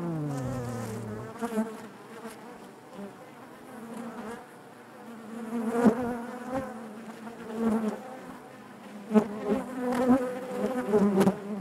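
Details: Honey bee hive interior: a bee's buzz slides downward in pitch at the start, then the colony's layered humming drone carries on, punctuated by frequent crisp clicks and brief louder close buzzes.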